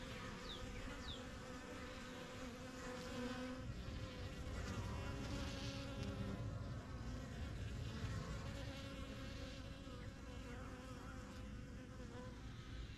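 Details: Busy honey bees flying in and out of a new backyard beehive make a dense, continuous low buzz. Individual bees swell louder as they pass close, with a few faint chirps early on.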